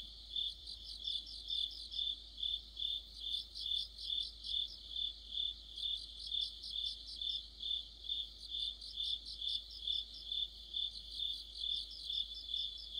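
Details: Autumn chorus of crickets and other insects: a steady high ringing band overlaid by pulsed chirps, loudness swelling and fading in regular beats about twice a second, several callers layered at once.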